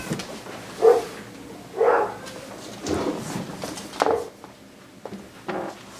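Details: Indoors, a seven-week-old Siberian husky puppy meets his father for the first time: four or five short, mid-pitched yelping whines spaced roughly a second apart, over faint background rustle.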